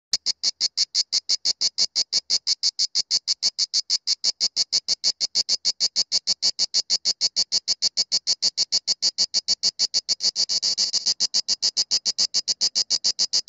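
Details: A Grey cicada (Cicada orni) sings in Sueca, Spain, in October 2017, with daytime temperatures still above 22°C, recorded fairly close: a steady run of dry, rasping clicks, several every second, high and sharp.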